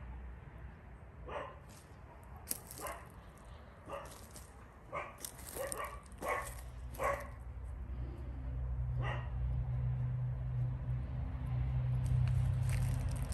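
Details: Rescued dogs kept for adoption, among them Caucasian Shepherds, Romanian Mioritic shepherds and street dogs. Sharp barks come in short, uneven bursts over a steady low rumble that grows louder toward the end.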